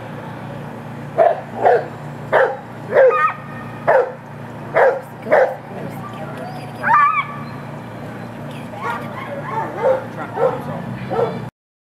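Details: Rhodesian Ridgeback barking at an ASFA lure coursing open finals event: about nine short, sharp barks in a steady run about every half second, then a single higher yelp and softer scattered barks over a background crowd murmur.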